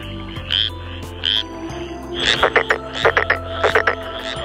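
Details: Frogs croak in a busy breeding chorus with rapid, overlapping rattling calls at night in a Japanese rice paddy in spring, where frogs are mating; wrinkled frogs, black-spotted pond frogs, Japanese tree frogs and Schlegel's green tree frogs are present as temperatures fall.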